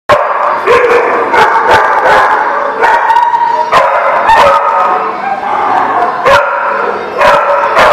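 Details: Several dogs barking at a boarding or kennel lot, dated 23 February 2018; loud overlapping barks and yips in rapid bursts, roughly ten sharp barks spread through the clip over a constant din of more barking.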